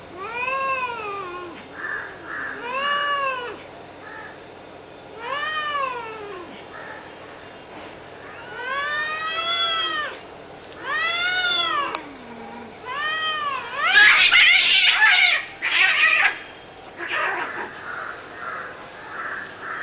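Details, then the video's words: Cat fight escalating, a string of arching, harmonic-rich yowls repeated roughly every one to two seconds, breaking into a harsh, noisy screech near the fifteen-second mark. "Cat Fight Part 3 Unedited"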